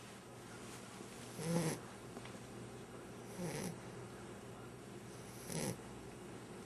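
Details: Nine-week-old puppy snoring indoors: three soft, breathy snores spaced about two seconds apart, each a short rasping swell over a quiet background hiss.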